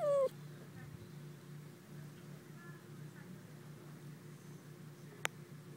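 A dachshund gives one sharp, high bark that drops slightly in pitch, followed by a quiet room hum.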